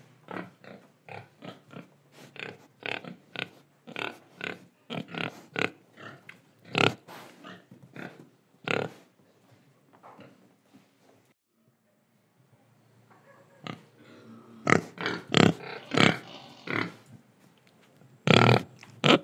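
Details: Pig in Indonesia, recorded oinking, breathing and eating: rapid run of short, harsh grunts at an uneven pace, a quieter lull near the middle, then louder clustered grunts resuming toward the end.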